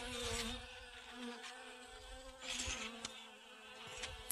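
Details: Honey bees gathering pollen from sunflowers in a garden on August 25th 2021: a faint, steady, low buzzing hum with a rich overtone series, broken by brief bursts of rustling noise.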